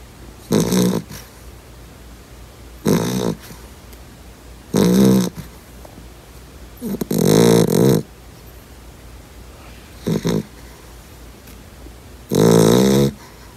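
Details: Yellow Labrador puppy, two months old, in deep sleep and snoring like an old man; six loud raspy snore bursts come about every two seconds, some broken into double pulses, over near silence.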